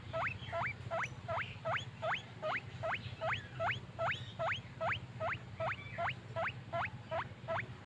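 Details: Steady, evenly spaced upward-swooping squeaks from a happy guinea pig, a small furry pet, about two or three per second, over a noticeable low hum and background hiss.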